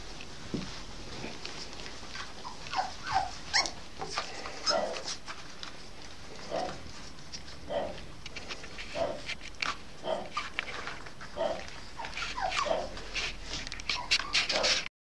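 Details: A female Norfolk Terrier puppy, eight and a half weeks old, whimpers almost nonstop. Short, high, rising and falling whines and little yelps repeat about every second and grow denser toward the end.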